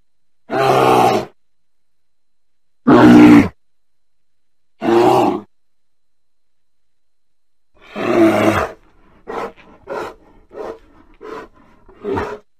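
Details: Bear giving four separate rough roars spread over several seconds, the last one followed by a quick run of six short, clipped grunts in irregular succession.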